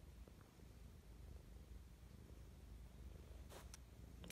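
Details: Mischa, a cat in an affectionate morning mood, purring in a close, steady low drone; soft rustling and a couple of brief scratchy sounds near the end.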